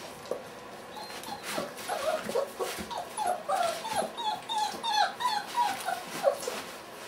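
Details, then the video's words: Litter of Weimaraner puppies at 30 days old, recorded 6 December 2012, giving many overlapping thin, high whimpers and squeaky yips, short falling notes repeated several times a second over a steady background hiss. "30gg di QUISS3 cuccioli di weimaraner"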